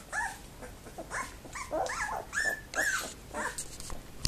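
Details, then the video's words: Labrador Retriever puppies two weeks old, lively in their whelping box at a kennel, December 2011: rising and falling squealing whines mixed with small growling grunts, almost continuous, ending in a sharp knock. "Labrador Welpen 07.Dezember 2011 - Party in der Welpenbox"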